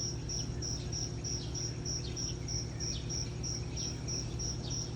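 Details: Morning cricket chirps, high clear pulses repeating evenly about three times per second, with a soft low drone underneath throughout.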